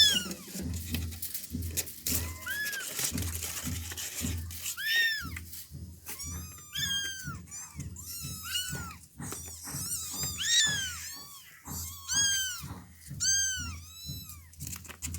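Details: Several village kittens calling together: dense overlapping high mews in rapid succession, arched and wavering, over a low pulsing thump and indoor handling sounds.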